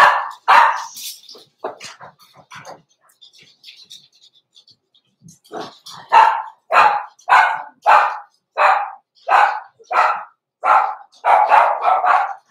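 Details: Blenheim Cavalier King Charles Spaniel puppies, born November 14, 2022, in a home puppy pen at Christmas; a quick run of short, sharp yips repeating almost twice a second, with soft voices and faint background noise at the start.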